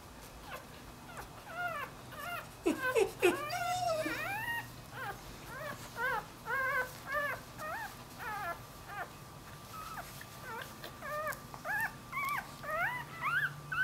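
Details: Newborn Dachshund-Jack Russell cross puppy that has wandered away from its mother, whining in a long series of thin, high, arching cries that rise and fall, coming roughly every half second with a few louder bursts early on.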